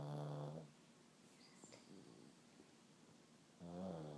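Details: Pug snoring as it sleeps, which the owner links to its breed. One deep, buzzing snore fades out, a soft pause with light rustling follows, then another rough, throaty snore begins.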